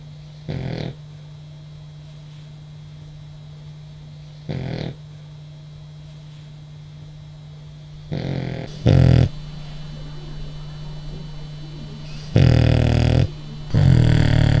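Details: Sleeping male French bulldog, apparently dreaming and jiggling, snoring indoors: short rough snorts at first, then longer, louder raspy snores, six bursts with irregular gaps, over a steady low electrical hum.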